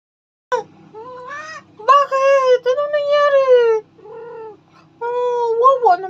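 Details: Mema, a pet cat, seemingly talking back to its owner. Drawn-out wavering meows rise and fall in pitch, several in a row with brief pauses, some strained and complaining. A person speaks Filipino between the calls.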